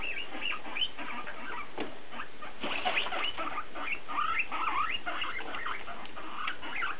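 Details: Guinea pig BooBoo chattering: dense, overlapping squeaky chirps and wavering whines, harsh broadband bursts around the middle, continuous talking throughout.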